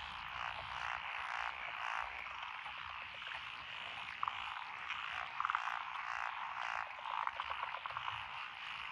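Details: Frogs calling together in lotus paddy fields in Echizen, Fukui, Japan, June 2021; a thick steady chorus of croaking with a few sharp higher notes standing out briefly above the din.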